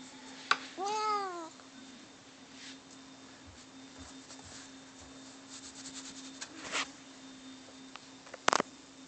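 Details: Cat fight between Bono and Mickey indoors; one brief falling meow early on, followed by scattered knocks, rustles and thumps with a sharp bang near the end.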